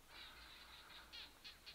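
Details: Evening chorus of barking geckos in the Kalahari by the Aha Hills, whose name echoes the call. Quick, high, clicking pulses repeat steadily, with a few louder, sharper clicks near the end, over soft background hiss.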